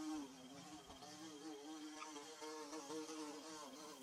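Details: Bees building a hive give a low, droning buzz with a wavering pitch and stacked overtones, steady and faint throughout against a soft background hiss.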